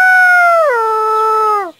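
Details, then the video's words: Dog giving a sustained howl under two seconds long, holding a steady tone, stepping down abruptly to a lower pitch midway, then trailing off downward at the end; no background sounds. "SOME VOICE OF DOG."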